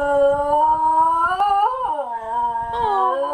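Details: Basenji singing a long, continuous howl-like note that holds steady, climbs briefly, then drops and levels out before lifting again near the end.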